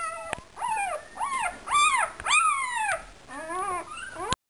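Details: Complaining male puppy in a whelping box gives repeated arched whines, nearly twice per second, some rising then falling sharply. A clear click comes near the start and at the very end.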